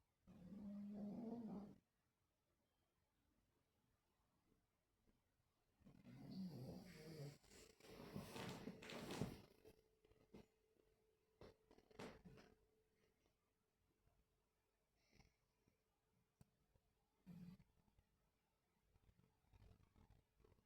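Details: Dreaming, sleeping dogs on 26.8.24 give a short tonal whine-growl at the start, then scratchy rustling and muffled grumbles midway, with faint snuffles and a small groan later in a quiet room.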